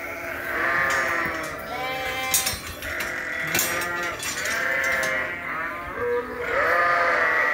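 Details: A flock of sheep (Ovis aries) on a farm in lambing season bleats loudly and almost without pause, harsh wavering cries overlapping one another; such screaming is heard every day.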